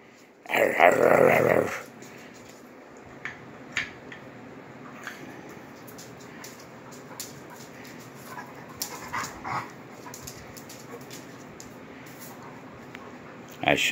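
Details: Two Rhodesian Ridgebacks, nine-year-old Kwela and nine-week-old Honey, mouth-wrestling in play; a loud rough growling burst lasting about a second opens, followed by quieter scuffles, snorts and scattered short noises.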